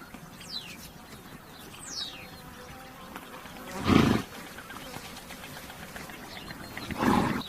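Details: Two brief, harsh, breathy horse bursts come about three seconds apart, with quick downward bird chirps and a faint steady hum outdoors.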